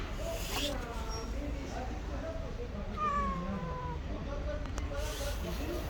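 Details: Stray cat living on the street, meowing several times: drawn-out, falling, harmonic-rich meows, one long clear cry near the middle, with human voices and steady low rumble in the background.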